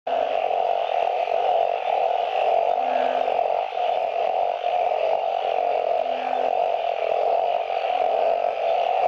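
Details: Truncate-snouted burrowing frogs (Glyphoglossus molossus) in remnant pools of a dry river bed, Phnom Prich Wildlife Sanctuary, Mondulkiri, Cambodia, gathered to mate after the first heavy rain; a dense, continuous droning chorus with steady overlapping tones and faint lower croaks.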